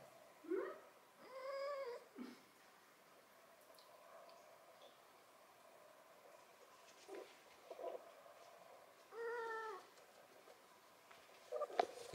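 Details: Six-month-old calico kitten indoors in central Germany, conversing with a person; a few soft, short meows with clear harmonics, spaced seconds apart, with quiet German speech around them.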